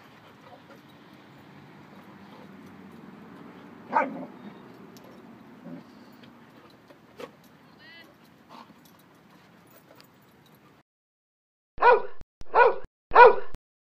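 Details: Rottweiler-shepherd female puppy, 4 months old, play-fights with other dogs at a dog park: low rumbling growls and scattered yelps rise and fade, all in good fun, then three sharp, evenly spaced barks; faint voices behind.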